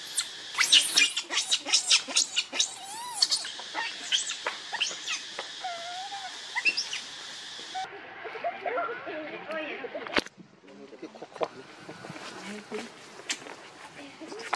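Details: Baby monkey Rainbow crying and clinging tightly to its mother for milk: bursts of high, wavering, shrill cries with bright harmonics in rapid succession through the first half, then softer, lower whimpering squeals with a sharp click near the end.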